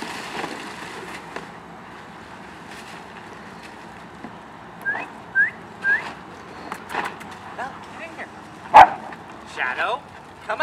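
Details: A pack of German Shepherds playing in a kiddie pool filled with ice; short rising yelps and whines come in quick pairs, then one sharp, loud bark, with people talking and ice crackling throughout.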